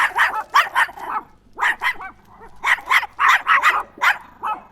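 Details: Small Chihuahua yapping rapidly, shrill clustered barks in groups of two to four with brief gaps, steady and insistent throughout.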